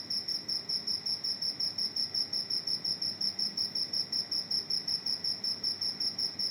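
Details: High metallic chirps from a cricket that wandered into a house, pulsing evenly almost three times a second in a constant, insistent rhythm over quiet room background.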